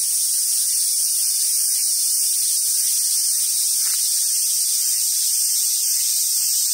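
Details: Summer cicada chorus on Awaji Island in Sumoto, Hyogo, Japan, at a park where wild Japanese macaques gather: a constant shrill, hissing drone without pauses, nothing else clearly heard.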